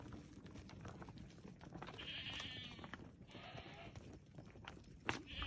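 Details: Herd of Awarid goats, around thirty adults with three young, giving wavering nasal bleats at about 2, 3.5 and 5.5 seconds over constant rustling background noise.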